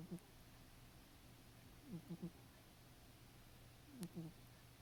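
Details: Caramel, a male pet cat, snoring while asleep: short low rasping pulses come in clusters of two or three, roughly every two seconds, over a steady background static hum.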